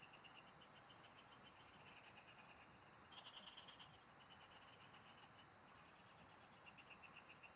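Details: Several frogs singing in rural fields while fishing goes on: steady strings of quick pulsed notes, one louder trill around the middle, underlying high insect whine and low background noise.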